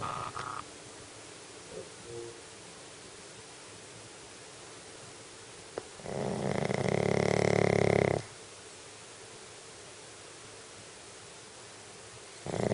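A sleeping Shih Tzu gives one long, rough, rumbling snore in an otherwise quiet room.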